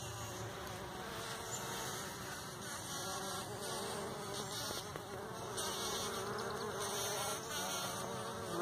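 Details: Bumblebees buzz pollinating partridge peas in a morning patch, at least ten flying around: a dense, steady droning buzz like tiny dentist's drills, overlapping hums from several bees, with a persistent high tone above.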